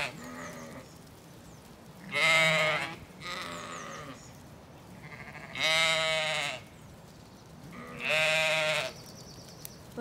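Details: Zwartbles sheep in County Kilkenny, Ireland, ewes with lambs released into an orchard in mild, windy weather before rain; three loud quavering bleats about every three seconds, plus fainter higher lamb calls between.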